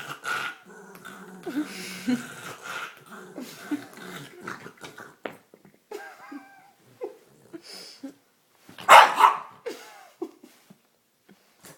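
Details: A pet dog playing with her green toy, growling, snorting and gurgling: low rumbling growls and short tonal grunts in uneven bursts, some thin whiny yips, with one loud rough snort-like burst near the end.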